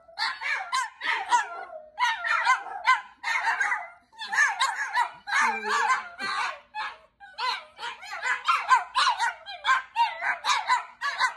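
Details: Chihuahua dogs yapping in fast bursts, high sharp barks in clusters separated by short pauses, one brief low wavering howl near the middle, heard in a small room.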